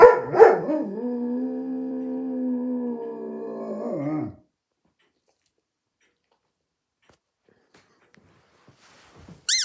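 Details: Kenny, a German Shepherd, gives one long, steady howl of about four seconds after a sharp opening yelp; the tone holds level, then wobbles and falls away at the end, followed by near silence.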